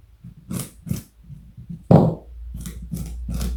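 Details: Pet rabbit weighing 4.6 kg and over 60 cm long, munching carrot indoors; crisp crunching bites at uneven intervals with one louder thud near the middle, followed by a low steady hum.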